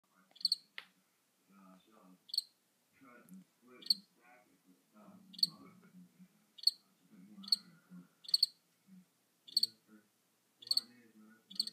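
A cricket gives short, high, pulsing chirps about every second and a half, with people talking quietly.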